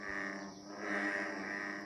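An American bullfrog gives a deep, droning, resonant mating call, made by males to attract females.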